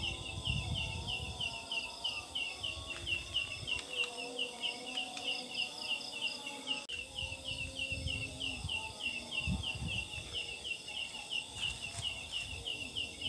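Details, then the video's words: Belalang daun, a big jackfruit-leaf-like katydid called ciang ciang in Sundanese, sings at night with a regular series of sharp, high chirps about three per second, chick-like, amid other insects and occasional clicks. "Mitos Suara Belalang DAUN di Malam hari"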